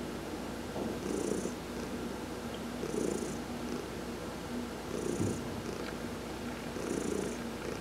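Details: Heidi, a domestic cat, purring while being massaged during a sun bath in November 2020: a steady low rumbling purr swelling in pulses roughly every two seconds, with a faint hiss-like breath accent at each swell.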